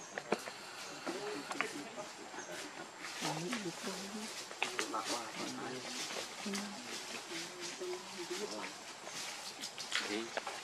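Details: Baby monkey Lucie pitifully crying from hunger for milk: a long run of low, wavering whimpers and moans, broken by clicks, rustles and background noise.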